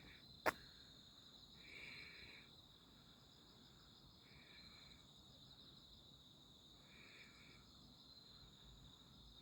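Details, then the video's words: A summer night walk on 11 August 2025 brings steady insect trilling; three separate raspy bursts of about a second each sound over the constant high whir, after a single sharp click at the start. "풀냄새 벌레소리"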